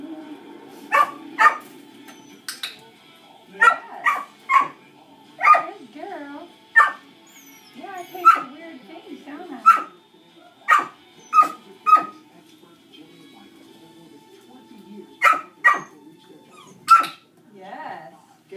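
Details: Distracting barks from other dogs during Dixie's first shaping session, where Dixie is reactive to dogs: single sharp barks scattered irregularly over the stretch. Quiet spoken encouragement and faint background voices continue throughout.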